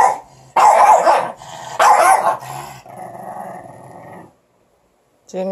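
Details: Morkie puppies quarrelling over a stick give two loud harsh growling bursts, then a softer droning growl that fades to silence. A person's voice is heard briefly at the end.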